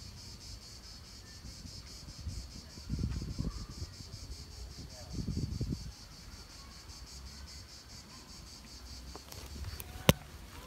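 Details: A continuous shrill cicada chorus in late July 2017 in the Governor's Palace park in Nancy, France: a high, fast-pulsed buzzing drone over low wind or distant traffic rumbles, with a few sharp clicks near the end.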